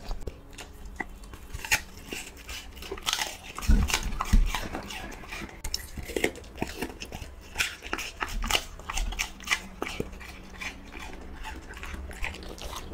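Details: Dog being fed indoors, crunching and biting food in quick, uneven clicks and snaps, a few louder bites near the middle, faint voices in the background of a small room.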